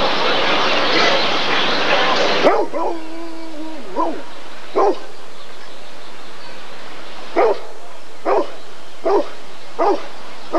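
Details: 1994 ADRK Körung breed survey, where a Rottweiler gives a drawn-out tonal whine after a burst of rushing noise, then a string of short, forceful barks at irregular intervals in a quieter setting.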